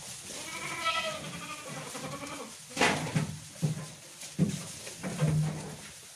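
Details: A herd of about thirty billy goats; a harmonic, wavering bleat early on, followed by several short, harsh bleats and bumps over steady background noise.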